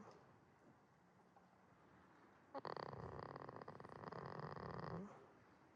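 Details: Goat snoring while asleep at a quiet farm in Himi, Toyama, Japan; after near-silence, a rough, breathy rasping snore lasts about two and a half seconds, fluttering rapidly, then stops.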